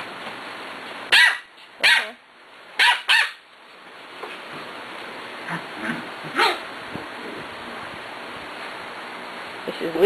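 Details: Playful six-week-old puppies from one litter give four quick, high barks in close succession, then softer scattered yips and rustling, with a person talking quietly nearby.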